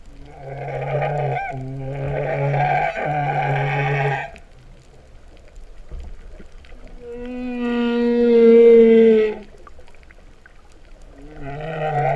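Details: Humpback whales singing beneath the surface at Vava'u, Tonga, in September 2015, a lowing sound: a buzzy two-part moan, a quiet gap, then a long pure rising-and-falling tonal wail before another buzzy phrase begins.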